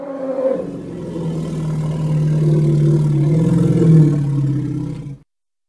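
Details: Deep, rumbling hippo bellow held for about five seconds, rough and slightly pulsed, with a brief higher note at the start and a swell near the end before stopping abruptly.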